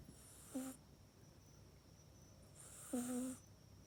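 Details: Mac, a house cat, sleeping and snoring in its cat bed at night indoors, captured with an iPhone 8; two short throaty snores about two and a half seconds apart, each a buzzy low drone over soft breath hiss, otherwise near silence.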